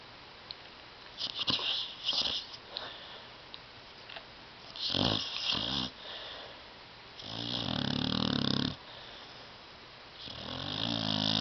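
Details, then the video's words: Tyson, a pet dog asleep on a love seat indoors, snores loudly: long rasping, harmonic-rich breaths with a hissing upper edge, the strongest one drawn out near the end, separated by quieter wheezy snorts. "DOG SNORING"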